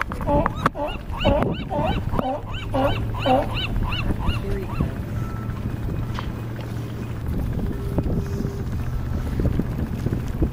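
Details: California sea lion (Zalophus californianus) on a harbor dock at Crescent City, California, gives a rapid run of hoarse, honking barks, then falls quiet over a low engine hum.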